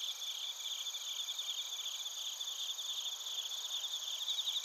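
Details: Crickets and bell crickets in Narita, Chiba, Japan produce a steady wall of high shimmering trills, with short rapid pulsed chirps repeated beneath a constant ringing tone.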